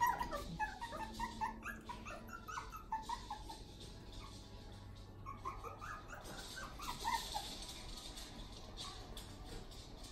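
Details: One-month-old puppies that have just moved into their play area, giving many short high whimpers and squeaks, overlapping and repeated throughout, with a steady low hum and background hiss.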